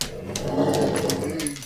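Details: Pet dog giving a playful growl: a low, rough, continuous rumble with a harmonic hum, sustained through the whole moment indoors in a small room.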